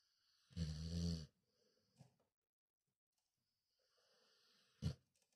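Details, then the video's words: A sleeping Cane Corso dog snoring indoors: one loud, low, rattling snore lasting under a second, then soft breathing, a short snort-like puff and quiet rustles. "dodo le cane corso ça ronfle"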